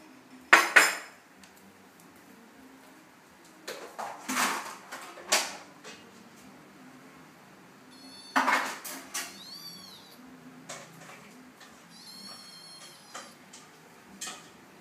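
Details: Domestic cat giving short, curved harmonic meows around the middle and later part, mixed with loud clattering of dishes, pots and cutlery in an indoor room.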